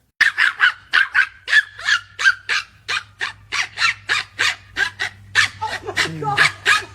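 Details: Little dog making noise right in its owner's ear, giving a fast, steady stream of short, sharp yapping barks, roughly three each second, with a low hum beneath.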